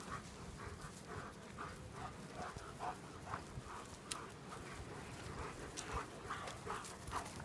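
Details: German Shepherds playing in the sun, breathing in quick, breathy, rhythmic pants, roughly two a second, soft and hissy over a low rumbling background.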